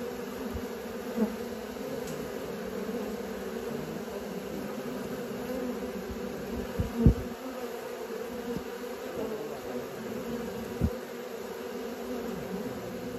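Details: Honey bees learning to fly produce a constant layered hum, low and droning with a higher band above it, steady across the whole stretch, with a few faint taps and one louder knock.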